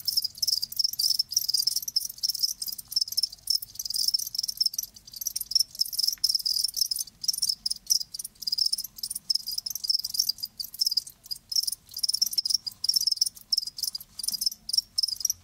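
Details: Continuous high, rapid chirping of live crickets, pulses packed tightly with frequent short breaks, several insects calling together over a long unbroken stretch.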